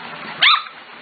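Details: Corgi puppy aged five to six weeks, from the Katie, Emma and Annie litters, gives one short high yip, sharp and bright, with faint background hiss and no other voices during the call.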